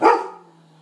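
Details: Young dog barking while playing with another pup, a loud player trying to start a game; one sharp, harsh bark bursts out and quickly fades to near quiet.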